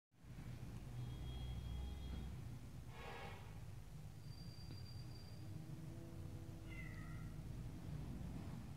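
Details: Little stray kittens and domestic kittens meeting face to face; a brief, faint, descending kitten meow near the end, over a steady low rumble with a short rustling burst midway.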